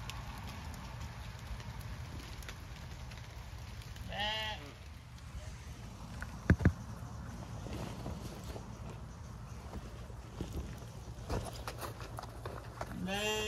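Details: Zwartbles ewes bleating at feeding time on a regenerative farm in County Kilkenny, Ireland, after torrential rain; two wavering, harmonic bleats roughly nine seconds apart over a steady low rumble and wet outdoor background noise.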